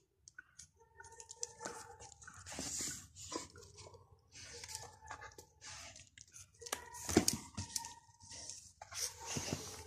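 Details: Greater Swiss Mountain Dog indoors begging for bread, giving short tonal whines in bursts between loud crunching and chewing sounds in a small room.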